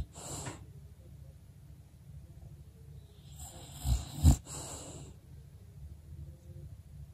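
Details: A female English bulldog, resting still, snores in low, rumbling breaths, with a louder snort near the middle.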